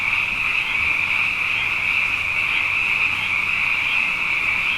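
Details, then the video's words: Abundant frogs calling at night after two wet years in a row, a dense chorus of many overlapping voices forming a steady, shimmering high trill that never pauses, with a faint low hum underneath. "Frog Songs: Na Mele o nā Paloka"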